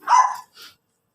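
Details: Pomeranian in Labrador, Pangasinan, letting out one loud, shrill, clipped bark followed by a fainter short yip, then silence.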